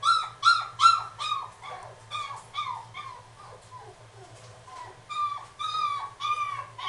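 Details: Female Miniature Dachshund kept at a pet shop in Kuwana gives loud, quick, high-pitched yelping whines, then softer, wavering whimpers midway, before the sharp yelps return more strongly; a faint low hum runs throughout.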